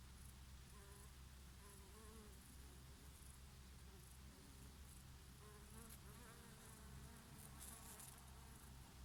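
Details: Honey bees foraging on oregano flowers on a summer day: a wavering, droning buzz rises and falls as the insects pass, repeating in short swells, over a steady low rumble of breeze and faint high ticks.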